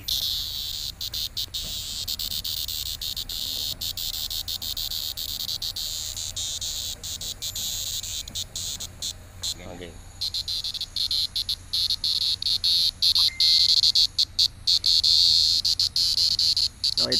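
A cicada's loud, steady high-pitched buzz, growing harsher and more pulsing toward the end.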